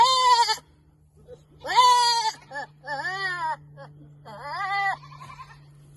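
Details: Hormonal goats give loud, wavering, funny and weird bleats, each lasting about half a second to a second.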